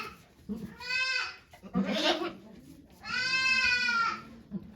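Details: Bleating from Okayu, a farm goat in labour with twins at Yoshigake farm, Japan, 3 May 2023; two drawn-out quavering bleats separated by a rough breathy cry, low murmuring in the background.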